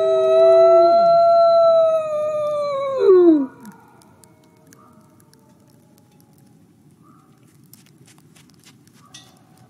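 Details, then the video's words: Nikai, a captive-born male gray wolf at a wolf conservation centre in South Salem, New York, gives a long, steady howl in the snow that slides downward at the end, then fades to quiet. "Beautiful Wolf Howls in the Snow"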